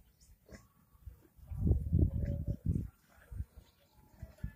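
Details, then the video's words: Pigs in a village in India, a loud cluster of deep, rough grunts in the middle, then several shorter grunts spaced apart, with quiet background noise. "pig sounds"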